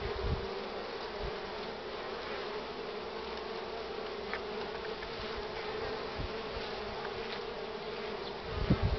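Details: Honey bees crowding at the hive entrance loaded with pollen, on a strongly sunny but cool morning of 24 March 2019 at 9:45; a dense, continuous low hum of many wings with a few brief knocks.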